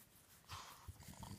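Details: Elvis, a Boston Terrier, snores while relaxed, giving a breathy rasp followed by low, rumbling, pig-like pulsing snorts.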